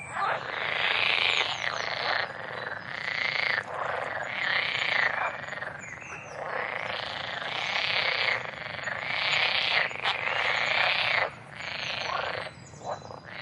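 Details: Busy frog chorus of harsh, rapid pulsed croaks in overlapping bursts roughly every second or two, loud and continuous, ending with a brief lull.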